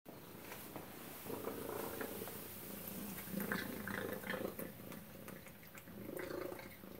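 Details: Tacy the cat at suppertime over a meal of chicken and duck: a steady, rumbling purr pulsing in low layered tones, with brief clicks and eating noises breaking through now and then.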